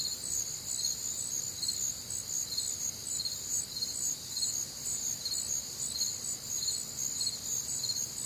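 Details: Crickets and other nocturnal callers on a humid Midwestern summer night, steady high pulsed chirping repeating roughly twice a second over a quiet background.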